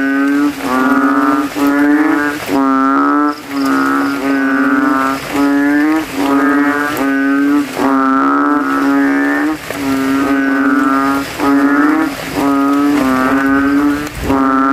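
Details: After evening rain, banded bullfrogs chorus in a graveyard puddle, each male puffing his throat to outcall rivals; steady deep nasal honks with rich overtones, about one per second, continuous overlapping chorus.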